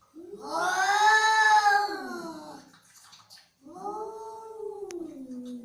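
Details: Angry cat letting out a long, strained yowl that swells and then sags in pitch, followed after a brief gap by a second, shorter descending wail; no other sounds stand out.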